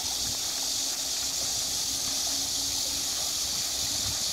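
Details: On 12 August at the waterwheel in Namsangol Hanok Village, Seoul, Korea, a cicada's steady, high, hissing drone runs unbroken over the rush of the turning waterwheel's water.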